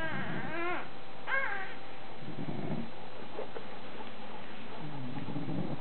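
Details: Bulldog pups only hours old, a charcoal bluish male and a chocolate male, nursing on mum Molly. Two brief rising-and-falling whimpers open the moment, followed by soft low grunting and a faint steady hum.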